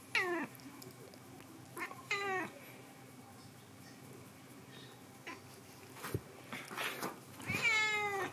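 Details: Indoor cat in an air-conditioned summer house meowing repeatedly: three clear, harmonic meows, each sliding downward, at the start, around two seconds and near the end, with quieter rustles and brief scrapes between them over steady room hum.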